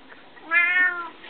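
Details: Pet Bengal cat giving a single clear meow indoors, a bright harmonic cry lasting about half a second that rises slightly then fades, over a quiet background.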